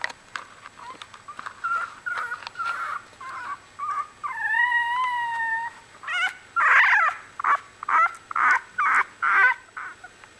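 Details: Litter of one-week-old Australian Bulldog puppies whimpering and squealing: repeated short high cries, a longer wavering whine in the middle, then loud rapid yelps in quick succession.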